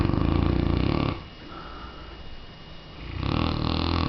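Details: Loud snoring from Wyatt, a Mastiff aged three, recorded in December 2006: a low, throaty rumbling snore, then a softer hissing breath of about two seconds, then the heavy rumble returns.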